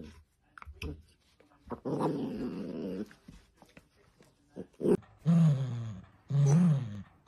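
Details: Dachshund (sausage dog) puppies at play indoors: a rough, low growl rumbles for about a second, then short whiny yelps and growls rise in pitch near the end, with brief clicks and knocks between.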